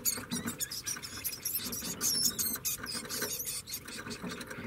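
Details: A degu (Octodon degus) gives rapid, high squeaky chirps and chattering, with soft rustling underneath.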